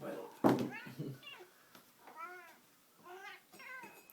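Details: Pet cat Rusty Bee yelling intensely while playing with a string toy indoors: a thump, then several short arched meows repeated about every second, fairly quiet.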